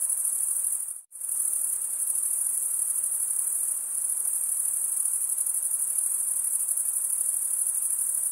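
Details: Crickets chirping, a sound made by males rubbing one wing's toothed vein against the other. A dense, continuous, very high-pitched shrill trill with an unbroken chorus texture, cut off by a sudden short silence near the first second before resuming steadily.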